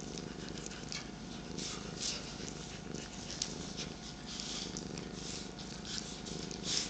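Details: Morning purring from domestic cats, a 13-year-old and an 8-month-old, with another cat on a lap: a steady, dense rumbling hiss that continues without a break.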